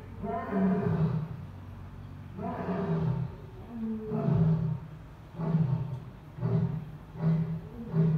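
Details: Captive Asiatic lion at Dublin Zoo giving a deep roaring bout: powerful low, harmonic grunts, the first long and drawn out, then shorter bursts coming faster and faster toward the end.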